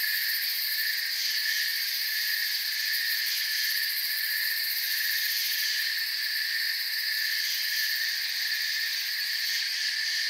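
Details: Crickets in a forest making a dense, unbroken chorus of high shrill chirping, stacked in several steady bands with fine rapid pulsing at the top, constant in loudness throughout, no other clear sounds.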